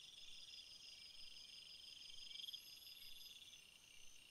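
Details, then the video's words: Field crickets form a continuous shrill chorus of stacked high tones, even and unbroken, with one short pulsed trill in the middle and no other clear sounds. "crickets sound"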